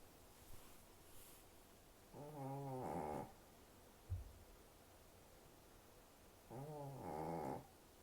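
A sleeping Shih Tzu snores in slow, rasping breaths, each lasting about a second and returning every four seconds.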